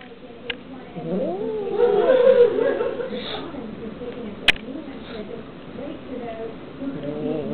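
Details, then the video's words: Kitten annoyed while eating meat, giving a wavering, drawn-out growling meow that rises and falls over about two seconds, then trails off into quieter grumbling; a sharp click sounds midway. "Seriously, let me eat my meats..."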